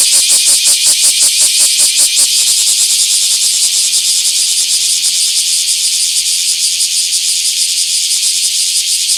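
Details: Bear cicada in a small park, 24 July 2026: distinct pulsed shrilling for the first two seconds, then merging into a smoother continuous high-pitched drone that slowly softens.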